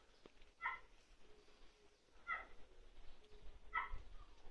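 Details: An 88-day-old male long-coat Chihuahua puppy, black-tan and white, in Fukuoka on 13 May gives short, high-pitched whiny yips, roughly one every second and a half.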